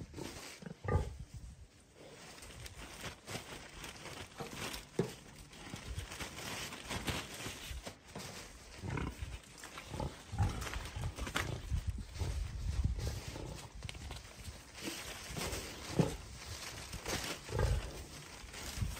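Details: Sanctuary rescue pig King Karl chews on a toy tunnel in upstate New York. Low, breathy grunts recur irregularly across the recording, mixed with steady crunching, rustling and knocks from the tunnel being gnawed.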